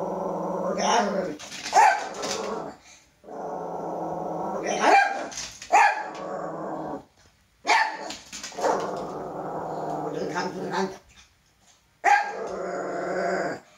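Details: Toy poodle, a male, scared of his own shadow, gives repeated bouts of droning growls, each a few seconds long and broken by sudden sharp barks, with brief silences between the bouts.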